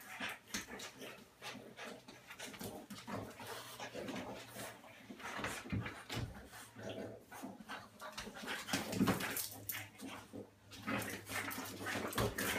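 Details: Indoors, a 35 lb French Bulldog is overpowered in rough play by a lighter 25 lb female dog; constant snuffling grunts and growls with rapid scuffling, plus a faint voice.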